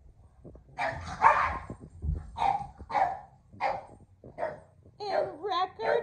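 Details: Kumo the Keeshond, excited while playing with a red ball alongside Sully the Boston Terrier, gives a run of short, harsh barks about every half second, ending in higher wavering whine-like yelps, with a man's voice talking over them.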